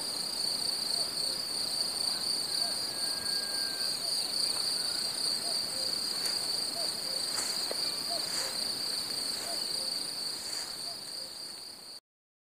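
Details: Summer meadow cicadas keep up a continuous shrill, even buzz, with faint short low chirps repeating underneath and a few brief sharp clicks midway before the sound fades slightly and stops.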